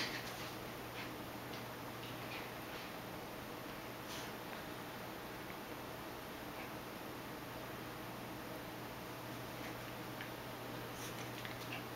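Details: Quiet indoor room hiss with a steady low hum and faint scattered ticks and rustles.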